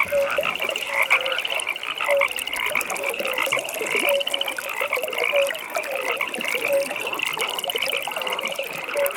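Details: Evening pond chorus of frogs, a continuous high rattling trill layered by several callers, while a lower short croak repeats roughly every second beneath it.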